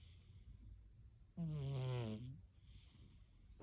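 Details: Sleeping Siamese cat giving one loud, droning snore-snort lasting about a second, low and buzzy with a rough breathy edge, set between quiet stretches of faint room hiss.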